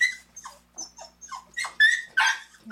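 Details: Ten-day-old puppies, four black males born April 12th, nursing beside their mother; high, squeaky whimpers that rise and fall in short bends, coming in quick bursts that grow louder toward the end.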